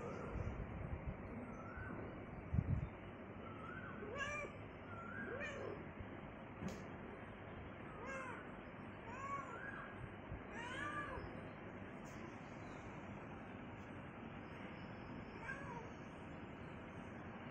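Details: A hungry domestic cat wanting cucumber meows repeatedly, roughly every one to two seconds through the middle of the recording. The calls are short, arched and nasal, over a constant low hum with a brief knock near the start.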